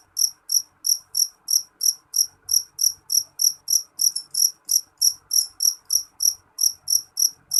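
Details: Loud, shrill chirps from a jangkrik jeliteng cricket, evenly repeated about three times a second without a break, each a crisp high pulse; little else audible.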